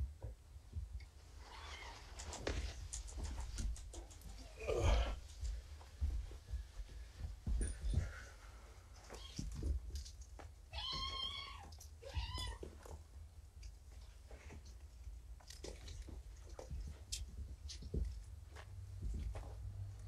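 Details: Young kittens, found abandoned in a box beside a road, at an indoor weigh-in as they crowd close; two high, arched meows in quick succession near the end, set against rustling, thumps and handling noise in a small room.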